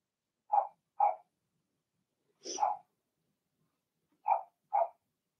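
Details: Five short, mid-pitched barks from Blenheim Cavalier King Charles Spaniel puppies in a puppy pen: a quick pair, a rougher hoarse bark, then another quick pair, with silence between.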